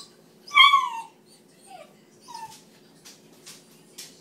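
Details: Bluetick Coonhound puppy named Trapper, newly adopted, protesting a baby gate set up so the household cat could eat in peace; one loud, sharply falling whine, followed by a brief fainter whimper and a few soft clicks in a quiet indoor room.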